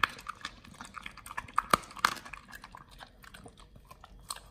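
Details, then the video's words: Raw quail being eaten by Nomyen, a Pit Bull fed BARF, captured close for ASMR: sharp bone cracks and wet smacking bites, loudest around the middle, then softer steady chewing. "nomyen the Pit Bull SOLO VS. Quails [ASMR] | BARF | MUKBANG 動物の咀嚼音 | 犬が生の肉を食べる"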